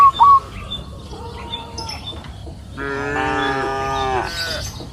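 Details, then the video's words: A grazing cow on a green pasture hill in the afternoon gives one long, loud moo lasting over a second, after brief bird chirps and a quiet stretch of rural background. "Sound of cows mooing up the green pasture hill in the afternoon"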